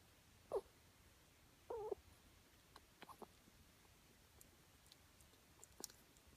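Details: Female pet ferret named Puppy grooming herself in a closet indoors, making odd noises: two short whiny squeaks, one near the start and a longer wavering one about a second later, followed by soft scattered clicks and rustling.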